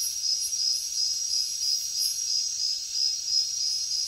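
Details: Crickets trill steadily in high, shimmering pulses on a jungle night, with a faint higher chorus swelling and fading.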